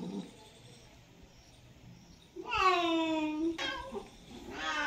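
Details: Cat in mating season letting out a loud, strained yowl lasting about a second after a near-silent start, followed by a shorter cry rising at the very end.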